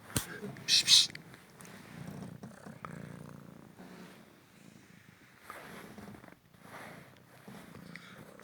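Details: Purring from a young male Cymric cat, once a street rescue, during an indoor fetch game: a sharp loud burst at the start, then a soft continuous low purr with faint rustling.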